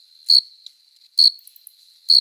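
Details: Courting male cricket on a summer night, wings rubbed to attract a female: three loud, piercing chirps spaced close to a second apart, each a brief buzzy pulse, over a soft constant high hum.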